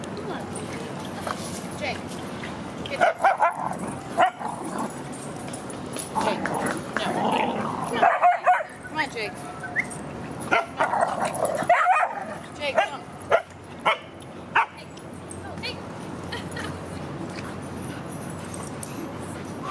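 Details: Rudy, a Boston Terrier playing at the dog park in September 2015, gives short, sharp barks in loud clusters near the start, middle and later stretch, over human voices and steady outdoor background noise.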